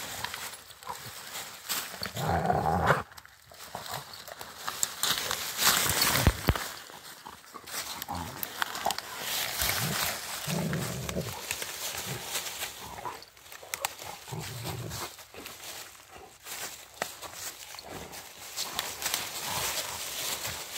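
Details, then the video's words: Rottweiler dogs playing in woodland on a friendly walk; low growls surface in brief bursts, mixed with panting, scuffles and rustling, a human voice faintly present at times. "Two Rottweiler dogs playing."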